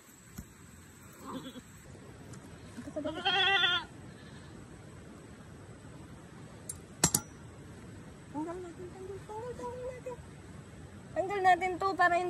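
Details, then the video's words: Bleats from a runaway goat that has returned home: a loud nasal bleat early on, then softer, lower wavering bleats later, with a sharp click in between and people talking nearby. "Umuwi na kambing na layas"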